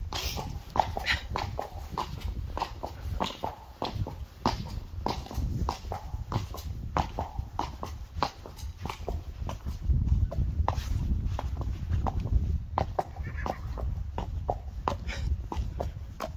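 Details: Friesian horse hooves clip-clopping, dense irregular sharp knocks several per second over a steady low rumble, growing a little louder past the midway point.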